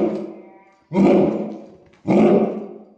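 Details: Two booming barks from a 135-pound pet Saint Bernard, about a second apart, each a broad, gruff burst that fades slowly, after a quieter lead-in tone.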